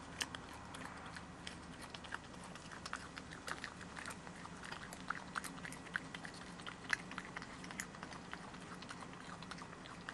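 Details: At the Barn Owl Centre in Gloucester, UK, the boldest of a group of regularly fed European badgers feeds up close: steady wet crunching and sharp bite clicks, several each second, over a soft hiss.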